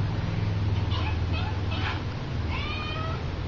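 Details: Little, a pet cat, calls indoors on seeing the horse whip she likes the sound of: several short, rising harmonic chirp-meows, the last drawn out and bending upward, over a steady low hum.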